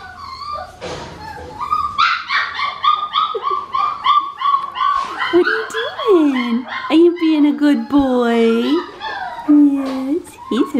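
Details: Four-week-old male Australian Shepherd puppy from a farm litter, indoors, giving a run of high, thin, whistled whines that repeat quickly and evenly. They are followed by a woman's cooing speech over the last half.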